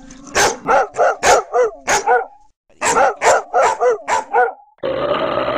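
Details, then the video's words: Dog giving two rapid runs of about six sharp, evenly spaced barks each, with a brief pause between them, ending with a stretch of harsh steady noise. "Dog Barking Sounds"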